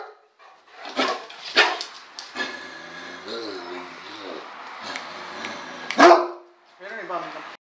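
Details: Great Dane barking: a few sharp, loud barks spaced irregularly, with a louder burst near the end, between softer whining, wavering tones and a person talking quietly indoors.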